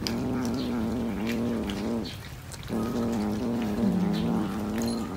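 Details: Cat caterwauling in long, drawn-out, slightly wavering low yowls, one sustained cry broken by a brief pause near the middle before the wail resumes.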